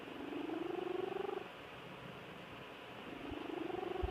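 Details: Quiet snores from a sleeping house cat, each a pulsing, buzzy tone that rises gently for about a second and a half, then a pause before the next breath, over low hiss.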